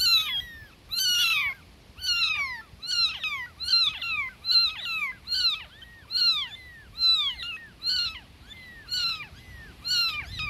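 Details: Tiny newborn kittens calling for mama cat with shrill, falling mews, about one each second, some cries overlapping and others more spaced out near the end.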